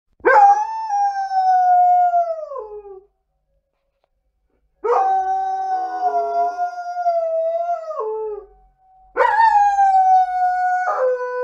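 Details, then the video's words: Female Alaskan Malamute howling while relaxing on a couch indoors: three long, clear, harmonic howls, each gliding slightly downward and ending in a drop, separated by short silences. "Alaskan Malamute is singing the song of her ancestors"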